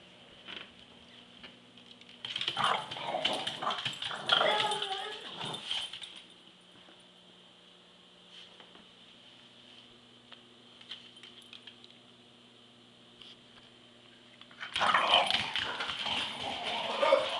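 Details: Boston terrier taunting a deaf, arthritic, semi-blind 16-year-old smooth fox terrier in a play fight: harsh snarling and growling bursts from two to six seconds and again near the end, with a steady high hum and quiet stretches between.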